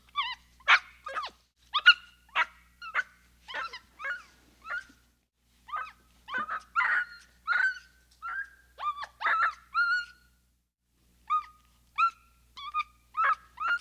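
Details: Capuchin monkey giving a long series of short, high, chirping whistled calls, about twenty in quick bursts, some sliding downward, with a brief pause near the tenth second before the chirps resume; no other sounds.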